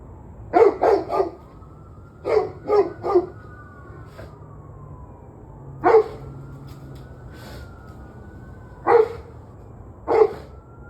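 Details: Barking dog on the evening of 21 November 2023, barks in clusters of three, then single barks every few seconds, while a wailing siren rises and falls steadily behind it.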